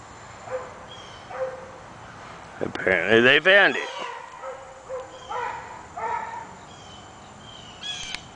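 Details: Maxx and Myrtle, two dogs, hunting rabbits in the deep woods. A loud, drawn-out, wavering bay of about one second, with a few shorter, fainter yelps before and after it against a quiet outdoor background.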